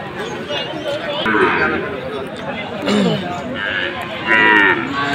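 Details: Sahiwal bull calves at a cattle sale in Khulna, Bangladesh, on 7 January: drawn-out lowing calls rise through the steady murmur of a busy crowd of people.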